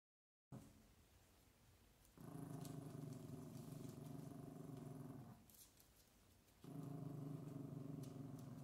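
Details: Chihuahua puppies with their mother; a Chihuahua gives low, sustained, rumbling growls in two long bursts.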